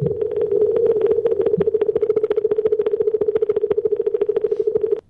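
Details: An Atlantic minke whale gives a steady low hum overlaid with rapid, evenly repeated clicking pulses.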